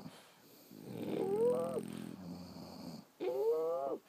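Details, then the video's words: Sleeping French Bulldogs breathe noisily: a long, rough, low rasp carries a wavering whistle on top, then after a brief pause a second whistled, rising-then-falling breath begins. "Snoring French Bulldogs"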